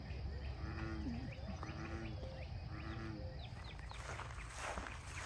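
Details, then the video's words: Bullfrogs at Lake Fairfax give a few spaced, deep croaks among scattered bird chirps. Toward the end a rush of wind or rustling noise builds and covers the calls. "Bull Frogs @ Lake Fairfax"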